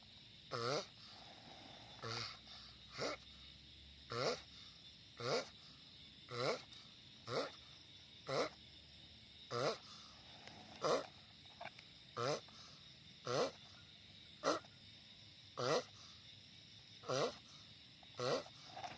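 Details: Giant sulcata tortoise making loud noise: short harmonic groaning grunts about every second, around seventeen in a steady series over a faint background hiss.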